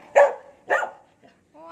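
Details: Pet dog Cherry, caring for kittens, answers with two gruff barks about half a second apart, then falls quiet before a human voice starts at the end.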